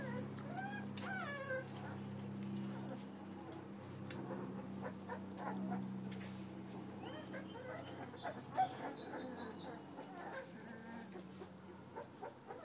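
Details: Puppies whimpering, with a burst of high, wavering whines early on, then scattered softer squeaks over a steady low mechanical hum and faint rustling.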